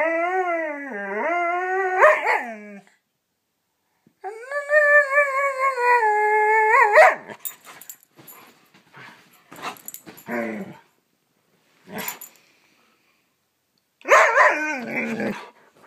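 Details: Siberian Husky pup Scout plays before bedtime indoors, giving long harmonic howl-talk that dips and then holds steady, followed by short yips and a final loud yowling burst, with gaps of silence between.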